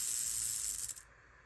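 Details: Speckled rattlesnake rattling, then stopping and repeating: a dense, hissing high buzz sustained for about a second before cutting off abruptly into quiet.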